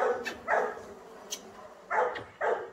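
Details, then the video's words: Kaus, a Belgian Malinois, during off-leash obedience training, gives short sharp barks, one near the start and a quick pair close together near the end, with quiet background between. "KAUS - PASTOR BELGA MALINOIS adestramento sem guia"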